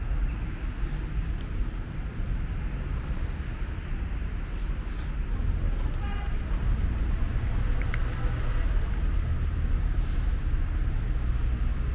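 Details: Steady roar of road traffic at a bus station, with faint voices and a brief horn toot.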